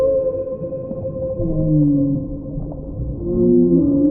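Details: Low whale moans gliding gently downward, several overlapping tonal sweeps rising and falling under a faint steady hum and continuous underwater hiss.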